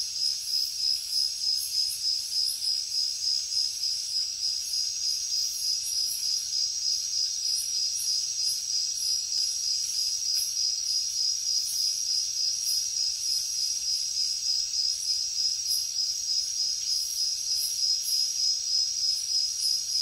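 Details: Night-time jungle crickets keep up a continuous shrill trill, pulsed at roughly three beats per second, over a thin layer of higher insect buzzing that swells and fades.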